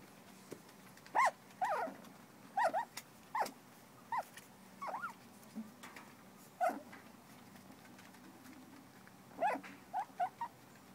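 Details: Four-week-old terrier puppies from Maeve's litter give short high whines and yelps, a dozen brief bursts scattered over eleven seconds with quiet gaps between, against a low steady hum.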